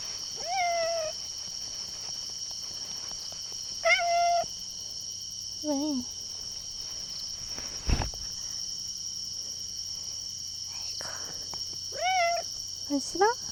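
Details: At night a hungry domestic cat at a campsite meows repeatedly: about six separate meows, some drawn-out and bending, others short and wavering, spread across the stretch, with a steady high whine and an occasional thump.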